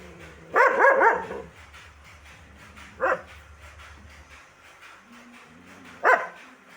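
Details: Dog barking: a rough, rapid double bark opens, then two single sharp barks follow about three seconds apart, over a steady low hum.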